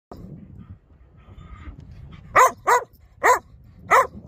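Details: Dog barking in four short, loud, harmonic barks spaced roughly half a second apart, after a stretch of quieter low grumbling vocalisation.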